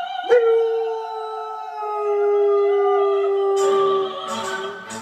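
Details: Female Northern Inuit dog howling along to opera music, Habanera: a long steady held tone that sags slightly in pitch over about four seconds, with bright orchestral music and voices rising in the final second.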